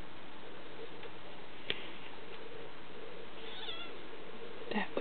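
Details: Birdie and Calvin, two Siamese kittens, fighting indoors: a short wavering, meow-like yowl rises and falls near the end, with sharp thumps and scuffles around it, a person speaking, and a steady background hiss.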